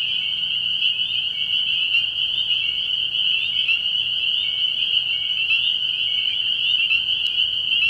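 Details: Many spring peepers chorus from a frog pond on an early-year night, their shrill overlapping peeps merging into one steady, ringing wall of sound throughout.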